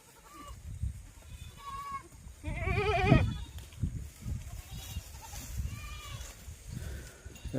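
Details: Domestic goat in a goat-farming context giving one loud, wavering bleat midway through, surrounded by heavy low rumbling and handling noise, with faint brief tonal sounds before and after.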